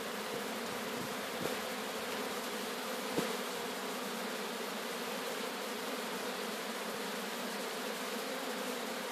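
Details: Captured swarm of Sicilian honey bees in Sciacca, Sicily, giving a constant hum of countless wings, a level drone throughout with two brief knocks early on.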